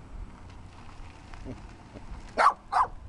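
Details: A small dirty dog lets out two quick, sharp barks near the end after a quiet stretch with faint background noise.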